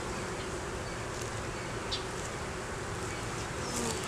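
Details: Steady colony drone from an open honey bee hive under inspection, a laying queen, honey, capped brood and larvae in view, filmed on a Canon Rebel T6 DSLR; thick, even buzzing hum with faint higher whines from individual bees flying close and occasional light clicks.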